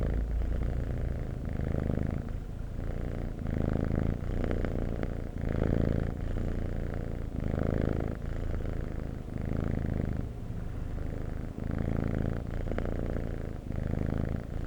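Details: Cat purring in long rhythmic waves, the rumble louder on each breath and softer between, repeating roughly every one and a half to two seconds.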